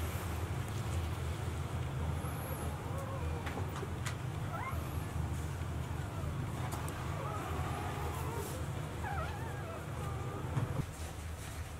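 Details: Newborn Golden Retriever puppies, four days old, from a litter of five males and one female born 26 April 2018, recorded 29 April 2018. Faint, thin whimpers and squeaks bend up and down at scattered moments over a steady low rumble.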